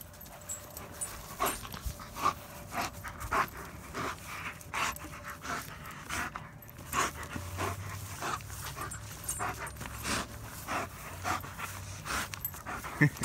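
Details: German Shepherd named Odin, outdoors helping gather firewood for a later campfire, panting steadily: soft breathy bursts repeating about every half second through the recording over a low rustling background.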